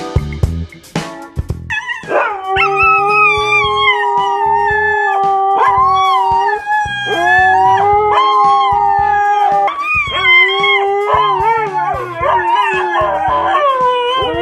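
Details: Two small pet dogs, left behind as their owner leaves alone, howl in protest: drawn-out, wavering, tonal howls that overlap and rise and fall over about fourteen seconds, after a short noisy start.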